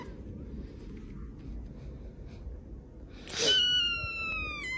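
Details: Cat giving a single drawn-out, high meow that begins abruptly after a few seconds of low room hum, holding its pitch and sliding gently downward until the end.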